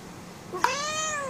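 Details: Indoors, pet cat Oyster, a female angry because she wants to go out, begins a prolonged meow after a brief click, holding it steady to the end.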